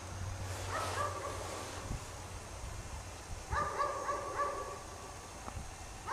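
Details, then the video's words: Chained dog left outdoors in falling snow, barking all day; a couple of quick bark bursts, then a louder run of four or five rapid barks, with low background rumble throughout. "Dog Barks all day in the snow"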